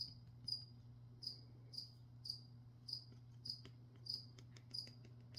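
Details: Cricket chirping during an ASMR session of spraying plants, heard as short high chirps roughly every half second to second, fairly faint over a steady low hum.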